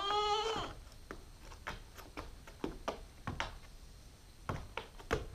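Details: Female Nubian goat kid, nine weeks old, captured on a GoPro stakeout; one short wavering bleat at the start, followed by scattered knocks and thumps.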